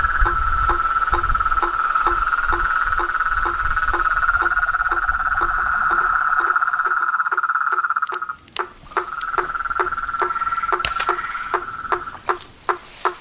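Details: Frogs and toads calling together, a continuous bright trill with regular short knocking calls repeated several times per second, the trill pausing briefly then resuming while the knocks continue alone at the end.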